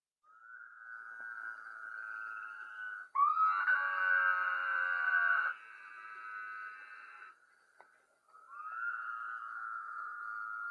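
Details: A male Woodhouse's toad in Texas gives its advertising call to females: drawn-out, nasal bleats with a whistling quality, rather like a sheep.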